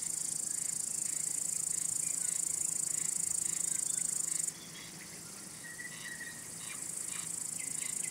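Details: Male crickets produce a continuous high-pitched trill to attract or court females or repel rivals; it drops off after four seconds, leaving softer chirps and short whistled notes before the trill builds again.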